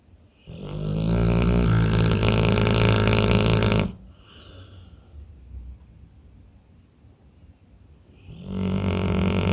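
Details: Deeply sleeping pit bull giving long, heavy, vibrating snores: a rumbling snore of over three seconds, a soft exhale and quiet stretch, then another loud snore beginning near the end.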